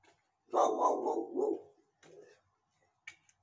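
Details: Female guard dog barking at people: a burst of three or four loud, rough, mid-pitched barks run together, followed by a softer single bark and a faint click, quiet between.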